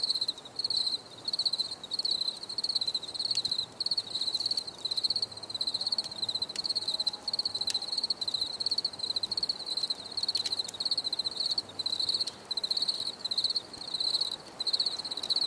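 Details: Cricket noise for calm and stress relief: continuous high-pitched pulsed chirping in short regular bursts, a chorus of insects with a faint distant tone in the background.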